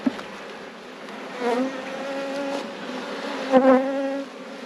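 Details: Honey bees in a beekeeper's apiary during a hive inspection, the colonies at peak production after two years of struggling; a steady, low droning hum holds two even tones, swelling briefly around the middle and again near the end.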